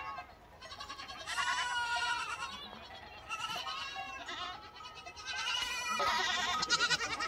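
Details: A flock of lambs gives bursts of tremulous, high bleats, each lasting a second or two. Brief quieter gaps fall between the louder overlapping cries.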